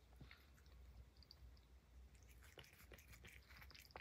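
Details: Highland Lynx cat Puff chewing banana peel, a few scattered soft clicks at first, then a denser burst of wet crunching bites in the last second and a half, low hum beneath.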